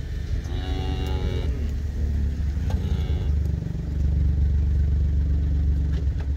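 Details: Calf scale weighing of a Black Hereford calf at Schroeder's Black Herefords; a second-long harmonic bawl opens, followed by a shorter weaker call, both half-buried in continuous motor noise.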